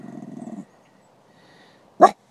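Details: Dog at a park growling at a female greyhound: a low, buzzing rumble lasting about half a second, then a silent pause and a single sharp, short bark-like snap.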